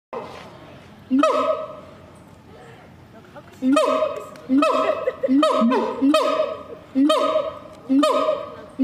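A siamang gives loud, rising whooping calls, repeated in quick succession after a short pause.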